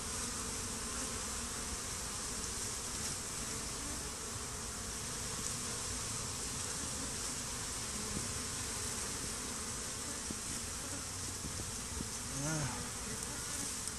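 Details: Honey bees swarming and fighting over a stump beside beehives, after a swarm was combined with a hive five days earlier; continuous dense buzzing drone throughout, with one brief wavering tone near the end.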